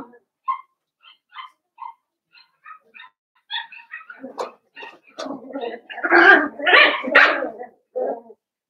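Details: Cavalier King Charles Spaniel puppies, five blenheim littermates kept in a home pen; faint scattered squeaks at first build into louder overlapping yelps and whines during the final seconds.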